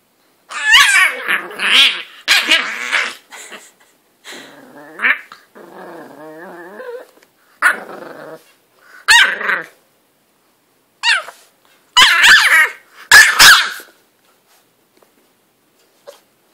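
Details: English bulldog named Butters attacking and bullying his bed at home, giving bursts of harsh growls and snorting barks in uneven clusters over about fifteen seconds, with a low rumbling stretch in the middle and a person's voice urging him on.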